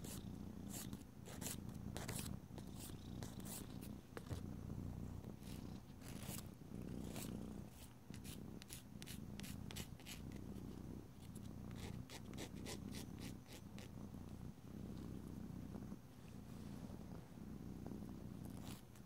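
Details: Indoor domestic cat purring as its claws are filed: an unbroken low rumbling purr under frequent sharp, rasping file strokes that come in quick bursts throughout.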